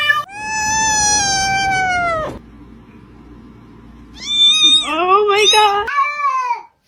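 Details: Domestic cat gives a long, steady meow lasting about two seconds and dipping at the end, then after a pause a burst of wavering, rising and falling yowls mixed with human voices.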